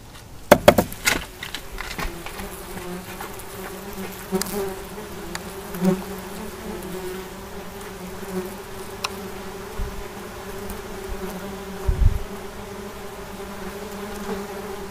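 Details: Wasps giving a steady low buzz with a clear tone and stacked overtones. The hum holds even throughout, broken by a few sharp clicks and taps near the start and a brief thump later on.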